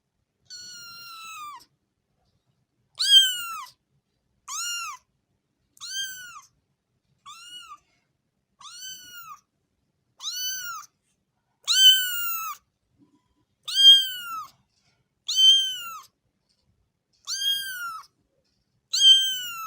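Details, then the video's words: Domestic cat meowing in clean, separate calls, each a short arched meow with bright harmonics, repeated about every one to two seconds with uneven spacing; no other sounds. "صوت قطة"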